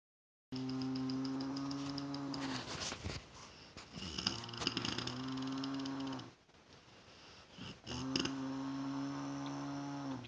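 A bear snores in long, low, droning rumbles broken by rough, breathy snorts.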